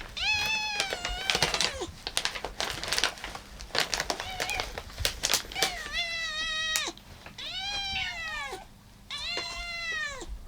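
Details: Cats eating, fourteen in the house including a rescued calico on her last day before adoption; several loud harmonic meows, some bent and falling, follow busy chewing and clicking sounds in a small room.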